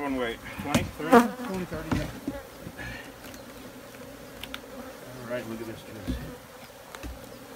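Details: Droning honey bee buzz with a strong burst early on, then a softer continuous hum with occasional brief swells.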